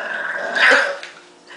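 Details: A pet dog named Marshall, said to be mad, gives one brief rough grumbling growl near the middle, swelling then fading within half a second, in a quiet indoor setting.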